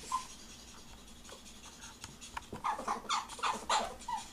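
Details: Ferrets mating. A quick run of soft, clucking pulses repeats several times per second in the second half, each note short and nasal. Faint scratching and breathing sounds run beneath.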